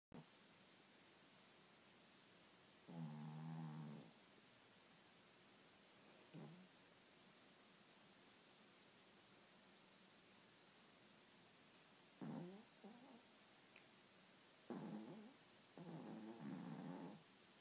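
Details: Sleeping toy Maltese with a deviated septum, snoring and snorting; five harsh, low rasping snores, some drawn out about a second, separated by quiet gaps over steady background hiss.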